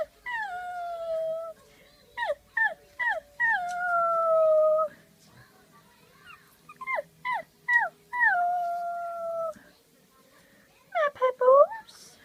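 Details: Pug puppies, head-tilting in response to a person's funny sounds, give high, wavering howls broken by short, sharp yips that fall in pitch.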